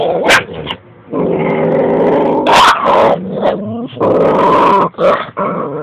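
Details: Domestic dog with a big bone in her mouth growls in long rough bursts, defending it from a second dog that barks at her with short sharp yips between the growls.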